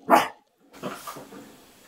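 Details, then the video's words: Pet dog indoors, said to be telling the household's gerbils it is bedtime, gives one sharp, loud bark. Softer muffled sounds follow in a quiet room. "Silly Dog trying to tell Gerbils that it's bedtime"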